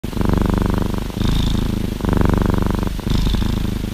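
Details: Orange tabby cat purring while cuddling inside a hoodie to share warmth; steady low rumbling purr in two long phases with a faint breathy hiss on the alternate breaths.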